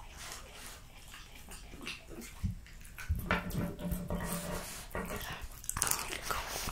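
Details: Jessica, a female French Bulldog, gulping raw lamb cutlets, beef schnitzel and BBQ pulled pork. A low, droning grunt sits under rapid smacking chews midway, and sharp bites crackle toward the end.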